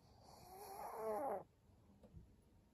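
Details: Senior pug Maria, filmed indoors on 14 April 2022, makes a single rising then falling groaning whine lasting about a second, building in loudness before stopping abruptly, then faint room noise and a soft tap.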